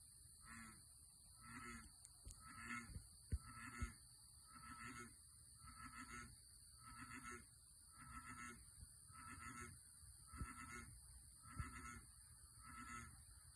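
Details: A big bullfrog in a farm pond gives deep, resonant croaks, repeated roughly once a second over a steady insect drone.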